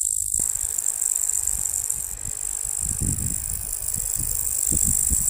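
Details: Strange sound of locusts: a continuous shrill, hissing buzz holds steady through the whole stretch, with a brief quieter moment at the start, layered over rumbling low thumps and rattling noise.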